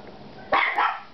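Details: Dog barking at home after a knock on the door: two sharp, harsh barks close together in just over a second, with faint room noise.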